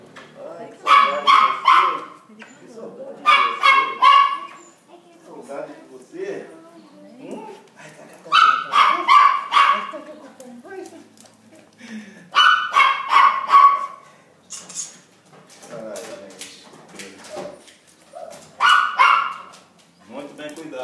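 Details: Thor, a pet Cocker Spaniel, seeing his family again after 14 months. He gives repeated bursts of high, excited yelps every few seconds, with soft whimpers between. People chat in Portuguese in the background.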